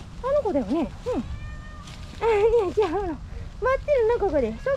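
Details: Stray kittens calling outdoors: a cream tabby male kitten and a slightly older female kitten from his stray group. Several short, high meows, some rising and falling, some sliding down, come in quick bursts separated by brief pauses.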